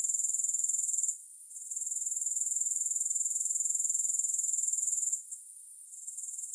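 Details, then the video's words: Grasshoppers heard without music: a high, fast-pulsed insect trill breaks off twice into brief, softer gaps, then resumes at full strength. "3 Hours of Grass Hopper Sounds"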